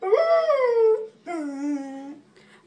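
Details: Luna, a talkative pet dog, gives two short howls indoors: the first wavers high and then slides down, and the second holds low and steady before trailing off.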